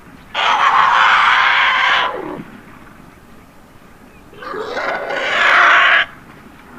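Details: On a South African safari, a mud-trapped baby African elephant screams for help before its mother rescues it: two long, loud, brassy blasts of about one and a half seconds each, separated by a few seconds of quiet.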